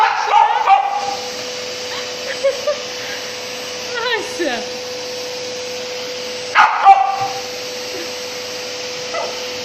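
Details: Asti the Samoyed battles a running vacuum cleaner indoors, giving a few scattered yipping barks in bursts separated by pauses. A woman speaks Russian over the machine's constant droning hum.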